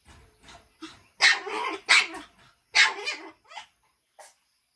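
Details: Small Shih Tzu x Pomeranian dog meeting another dog gives three loud, harsh barks with a slightly growly edge, separated by brief gaps, among softer yips and snuffles.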